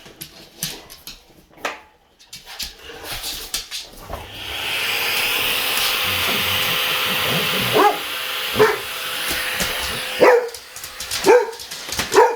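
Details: Boxer dogs reacting to a vacuum cleaner indoors. Scattered sounds at first, then the vacuum's steady roar starts and the dogs bark repeatedly over it, roughly once a second, in short harsh yaps.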